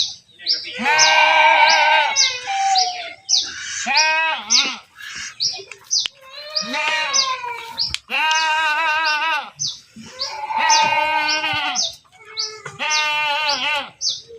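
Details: Several goats being herded bleat in long, trembling, overlapping calls. Quick high swept chirps sound between and over the bleats.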